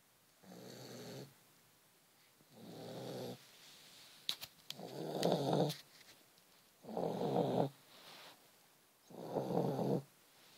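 A sleeping Vizsla snores in slow, rasping breaths, about one every two seconds.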